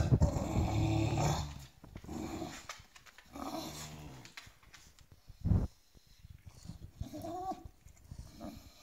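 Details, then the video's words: An indoor pet bulldog throws a tantrum after another dog steals its bed. Deep, rasping growls come in bursts of one to two seconds, separated by quieter breathing and rustling. "Son lit volé, ce bulldog pique une colère"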